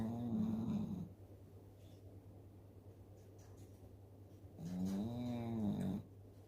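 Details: Dooly, an 11-year-old Shih Tzu, snores in deep sleep after a meal of kibble: two long nasal snores with a droning, faintly tonal buzz, separated by about three and a half seconds of near silence.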